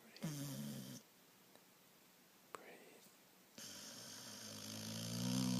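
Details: A sleeping moose snoring: two long rasping breaths, each about a second or more, with a harsh broadband buzz over a low rumbling tone, separated by a quiet pause of roughly two and a half seconds.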